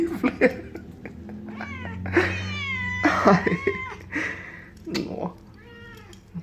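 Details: A male Burmilla kitten catching and eating a fly gives a series of short, rising and falling chirping meows, hungry sounds he also made at three months old when fed beef.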